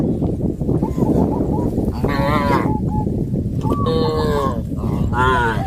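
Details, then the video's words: A herd of cows on a traditional village farm heading towards green grass fields; several drawn-out, harmonic moos near two, four and five seconds over a constant low rumble of movement and some voices. "A herd of cows heading towards the green grass fields, sound of cows"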